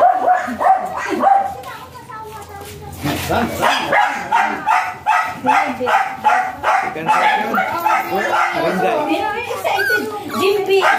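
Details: White Pomeranian of Thai import line at a stud service in Aringay, La Union, yipping in rapid high barks, several per second, with people talking in Filipino over most of the recording.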